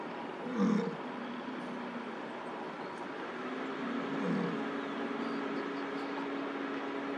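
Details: American bison bull in rut, wild in Lamar Valley, Yellowstone National Park, calling for a female's attention beside a stopped car during a bison jam; two low, rough bellows near the start and middle over steady engine hum.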